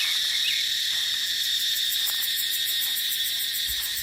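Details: Steady, piercing high drone of cicadas in a dry dipterocarp forest in the dry season, filling the whole clip with little variation, with light wind underneath.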